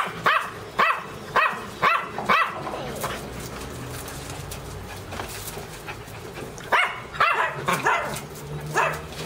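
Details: A dog lets out two bursts of quick, sharp barks, five at the start and four more near the end, separated by a few seconds of low background noise.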